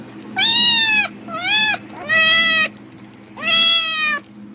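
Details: A domestic cat, reacting to the rustle of a plastic bag as if food were coming, gives four loud, drawn-out meows, each rising then levelling off.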